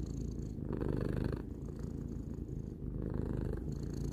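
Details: Tarou, a three-year-old domestic cat, purring steadily: a deep, continuous low rumble that swells and eases with each breath, shifting roughly every second or so, close and clear indoors with no other sounds.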